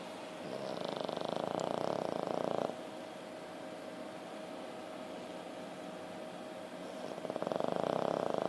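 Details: French Bulldog snoring while on painkillers after being bitten by another dog and getting stitches inside his mouth; two long, rattling, buzzy snore breaths, one at the start and one at the end, with a quieter stretch between.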